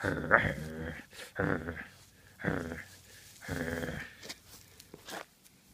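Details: Badger, a 9-week-old Great Pyrenees puppy, plays with a toy dog indoors, giving rough, harmonic growls in short bursts about once a second, with brief quiet gaps and a few soft knocks between them.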